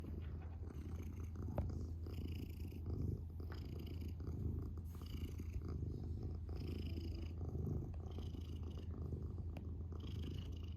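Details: Domestic cat purring steadily, a low continuous rumble that swells and eases with each breath roughly every one to two seconds, with no other clear sounds.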